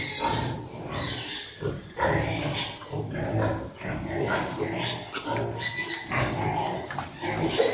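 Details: Farm pigs mating, a Piétrain boar covering a sow in heat: deep guttural grunts and raspy snorts in short uneven bursts, over steady barn noise.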